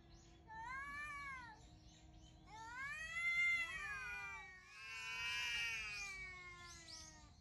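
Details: Two wild cats calling early in the morning, recorded 18 November 2021: long wavering, rising-and-falling yowls, several drawn-out wails overlapping with a second, lower cat, building into a louder harsh cry near the end.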